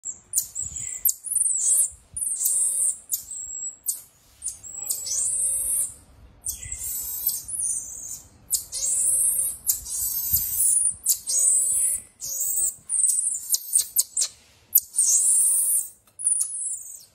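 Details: Marmoset, a pet monkey kept in Chennai, giving long series of very high, thin whistled and trilled calls in repeated bursts of one to two seconds, with brief pauses between them; faint low rustling underneath.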